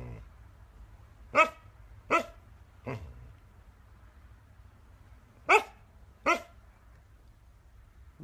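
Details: A dog gives five sharp, loud barks: three spaced less than a second apart, a pause of over two seconds, then two more in quick succession, over a quiet low hum.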